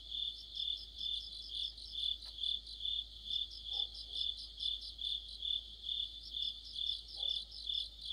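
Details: In mid-autumn, crickets and other insects sing together. Shrill, evenly pulsed chirps repeat a little over twice per second against a layered high buzz. A few faint, short, lower sounds come in twice in the background.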